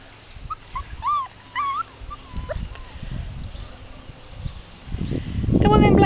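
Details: Two 39-day-old puppies of an Irish rescue dog exploring a garden for the first time: a few short, squeaky rising-and-falling whines and squeals, then quieter rustling, and a person's voice growing loud at the end.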